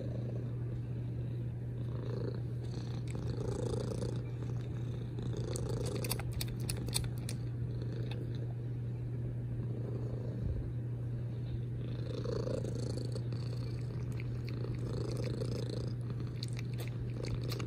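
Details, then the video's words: Domestic cat purring loudly and continuously, a low droning rumble rising and falling in breath cycles roughly every one and a half to two seconds, with occasional soft clicks of kisses. "Loud Purrs and Kisses"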